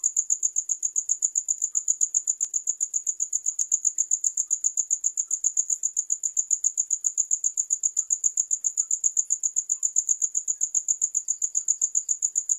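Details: Steady cricket chirping: a shrill, high-pitched stream of quick, regular pulses with no pauses, over a quiet background with a few faint ticks.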